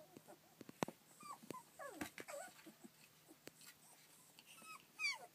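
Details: Rough collie puppies, 25 days old, born 27 February 2013 and filmed 24 March 2013; a run of short whimpers and squeaks, several sliding downward in pitch, with scattered rustling and clicking in the background.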